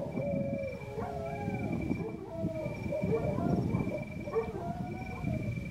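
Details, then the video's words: Several Georgian Shepherd dogs (nagazi) howl together. Overlapping, wavering, drawn-out tones slide up and down over a steady high whine and a low background rumble. "ქართული ნაგაზები ყმუიან??? დიახ..ყმუიან..ჩემი ძაღლების მორიგი რამოდენიმე დღის ყმუილი"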